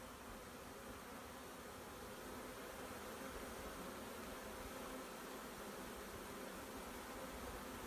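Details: Honey bee swarm being collected, a dense, continuous droning hum with faint steady pitched bands, unbroken throughout and set against a broad hiss of background noise.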